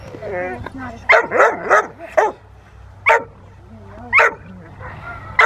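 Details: Rottweiler Willie v Schwarzerwald having fun in the rain at the Victoria Rottweiler Club in December 2020; a quick run of four loud barks, then two more single barks, with talking between.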